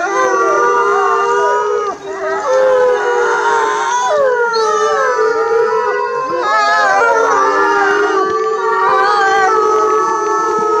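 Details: A pack of timber wolves kept at Asahiyama Zoo, Japan, howls in chorus: many drawn-out, wavering tones layered over one another, sliding and bending in pitch, with brief dips before the group swells again.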